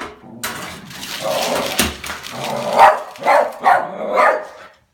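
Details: Oliver the Westie reacts to a new mail slot. Broad rustling noise dominates the opening, then three or four rough barks follow in a rapid run near the end.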